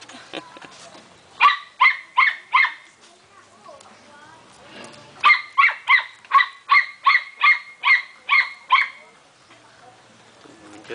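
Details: Belgian Shepherd puppy giving high, bright yapping barks in two quick, evenly spaced runs, first four barks, then after a pause about nine more; faint voices and rustling fill the gaps.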